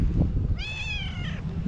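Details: White tabby female cat, a hungry stray that had missed the people filming her, meowing loudly beside them: one drawn-out, harmonic-rich meow lasting nearly a second, steady then falling slightly at the end, over low background rumble.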